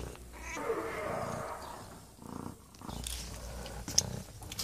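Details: Mother cat purring to give thanks, a soft low rumbling texture under quiet Italian speech and some handling noise.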